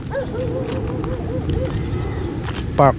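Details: Siberian Husky Rigel in a park parking lot on a morning outing; a long, steady whine wavering slightly in pitch, then a loud, abrupt harmonic yelp near the end, with a voice and background hum.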